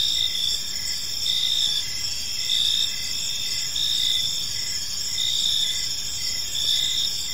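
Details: Evening park chorus of crickets, their shrill bands ringing continuously while brief chirps pulse roughly once a second over quiet low rumble.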